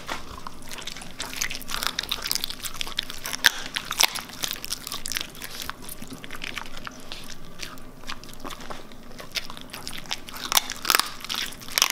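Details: Steady crunching and grinding of bones being chewed, with sharp irregular cracks throughout and no animal calls.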